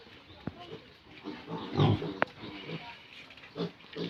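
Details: Pigs on a pig farm at feeding time: quiet, low, short grunts scattered through the clip, one fuller grunt near the middle, with a sharp click and soft background clatter.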